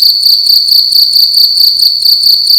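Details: A cricket indoors in a room at night, sounding loud: a steady, piercing high chirp with harmonics above, pulsing in quick, even bursts about ten times per second, with no other sounds.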